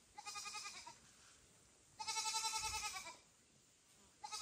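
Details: Loud calls of a kitten to mother cat Kira, foster kitten Ginny and kitten Leo nearby: two long, steady, nasal cries of nearly a second each, separated by a short quiet gap, a third beginning at the end.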